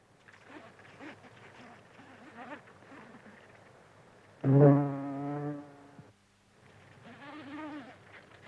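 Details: Buff-tailed bumblebee (Bombus terrestris) feeding from flowers, recorded close up: a loud, low, steady buzz rich in overtones swells in for about a second and a half. Softer wavering hums and tonal sounds fill the quieter stretches before and after it.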